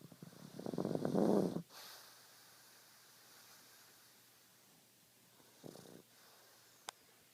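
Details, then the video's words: Dreaming pug at rest gives one loud, raspy snore lasting about a second, then near silence, a much softer short snort-like breath later and a single sharp click near the end. "My Pug Snoring and Dreaming"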